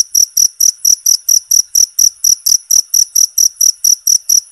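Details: Loud, steady cricket chirps used as a tutor sound for songbirds, sharp high pulses evenly spaced roughly four per second, unbroken across the clip and clear of other noise.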